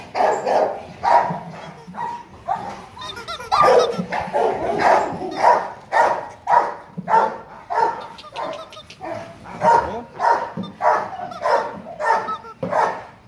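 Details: Gold, a young male Rottweiler of 10 months at the Gervi dog kennel, gives repeated booming barks at a regular pace of about one and a half per second, a person speaking briefly in the background.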